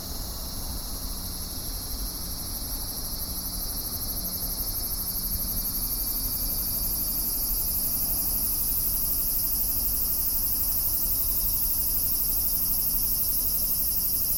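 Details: Cicadas singing in a steady, shrill, high-pitched hiss that grows slightly louder in the second half, with a faint low hum underneath.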